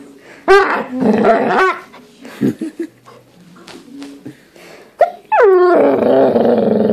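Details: Doodle dog indoors making new sounds: wavering whiny yowls and low grumbly growls, broken by short pauses, ending in a long, loud, falling moan.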